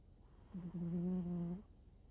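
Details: Deeply sleeping domestic cat giving a single snore: a steady, low, humming tone lasting about one second, with faint overtones and a slight rise at the start, in a quiet indoor setting.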